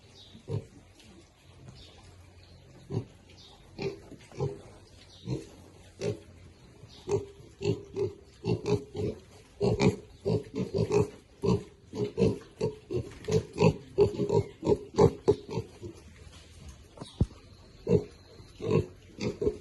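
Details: Piglets feeding contentedly, giving a steady run of short, low, nasal grunts, more than one a second, overlapping at times as several animals eat together, with a faint hum in the background.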